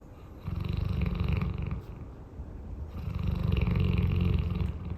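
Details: A large pet dog snores during a nap indoors, two long, deep, rumbling low snores, each drawn out for well over a second with a fluttering, pulsed texture and a short quiet breath between them.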